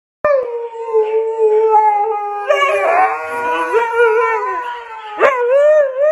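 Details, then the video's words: Huskies howling together as if alerting for an evacuation: long, wavering, tonal howls with rich harmonics, one voice sliding and another joining midway, a sharp yip near the end, sustained throughout. "Dogs alerting evacuation"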